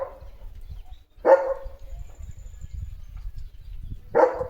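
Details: German Shepherd dog barking in a home yard where sparrows nest: one bark, a pause of almost three seconds, then a second loud, sharp bark, with faint low background rumble between.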